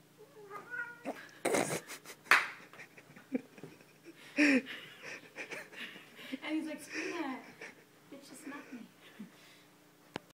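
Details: A pet cat showing two border collie mixes who is in charge indoors gives several short, bending meows and wavering cries, scattered between people talking and laughing in a small room.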